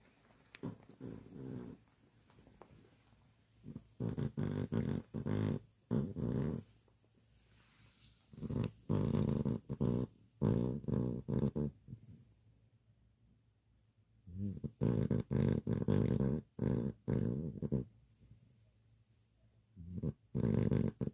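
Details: Pet dog asleep indoors, snoring: low rumbling, buzzy snores in pulsed bursts of about a second, grouped with quieter pauses, in a small quiet room.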